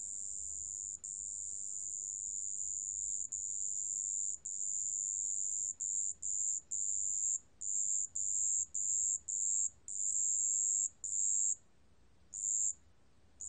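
A marsh bell cricket gives a high, thin, ringing trill in long bursts broken by brief pauses.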